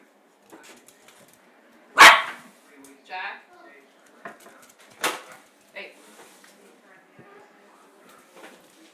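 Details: Playing dog: two sharp loud barks about three seconds apart, with softer huffs and whines between them and a person speaking nearby in an indoor setting.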